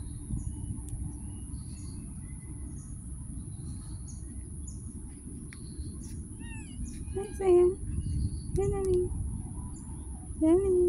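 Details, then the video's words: Street cat meowing outdoors: after a stretch of steady low rumble and faint chirps, three short, curving harmonic meows arrive in the last few seconds, the final one loudest. "the life of a street cats || cat lovers viral cat | meowing"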